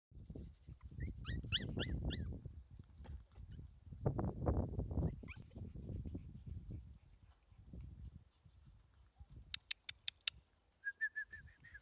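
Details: Pomeranian dog giving a quick burst of high, squeaky yelps near the start, with heavy low rustling and handling noise, then sharp clicks and a short run of thin squeaky notes at the end.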